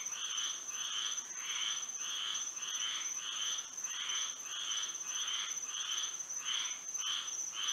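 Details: Florida frogs calling at night in moonlight: harsh, buzzy croaks pulsing in fairly regular bursts, close to a hundred a minute, over a persistent shrill background tone.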